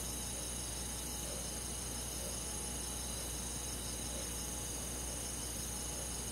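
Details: Rural forest crickets and insects calling together on a summer night, a steady, high, hissing trill chorus with soft, faint pulses lower down and a constant background hum.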